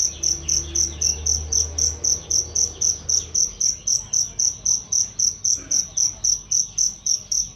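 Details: Cricket used as a training sound for songbirds, described as loud and clear: a steady series of shrill, high pulsed chirps at nearly four per second, a faint low hum early on and faint bird notes behind.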